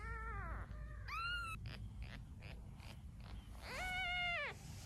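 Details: Domestic cat beside a mother cat and her newborn kittens, one kitten having died on its second day; three clear drawn-out meows, the first falling, the second rising, the last arching, over low background hiss.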